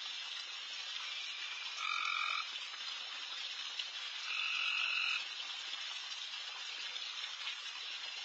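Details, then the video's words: Loud frogs calling all around a backyard late at night while deer feed: a dense, hissing high chorus underlies two louder buzzy trills of under a second each, around two and five seconds in. "Night Deer... with Frogs in surround sound"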